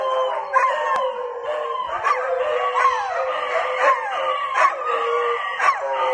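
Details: Dogs reacting to a school bell with sustained, quavering howls that bend up and down, while sharp ringing strikes land about once a second throughout.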